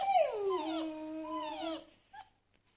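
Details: Domestic dog, stirred by whining and howling sounds from a phone, gives one long drawn-out whine that drops in pitch and then holds steady for about two seconds, followed by a faint short yelp.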